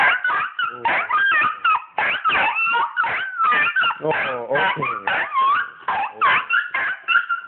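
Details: Two pet dogs, Penny and Oliver, greet their owner coming home, excited and freaking out. High whines and sharp yips rise and fall in quick bursts, tangled with a woman's voice talking and soothing them throughout.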